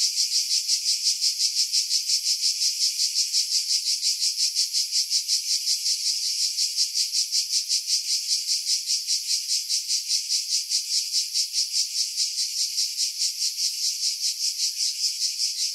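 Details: Cicada chorus from pine trees over Pefkos Bay on Skiros Island, Greece, July 2018: a sustained sizzling high buzz throbbing in quick, even pulses, nearly three per second, with wind removed by filtering.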